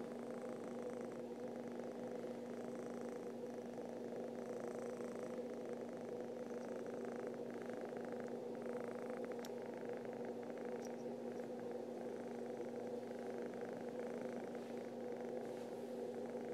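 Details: Happy domestic cat purring to wake its owner, a steady continuous rumbling purr with soft rhythmic pulses of breathing throughout, quiet and close, with a faint steady hum underneath.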